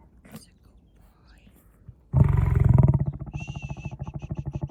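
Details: Lion roaring: after two quiet seconds with faint voices, a loud, deep, rumbling roar bursts in, then breaks into a fast run of rhythmic grunts, about four a second. A steady high tone sounds briefly over the grunts.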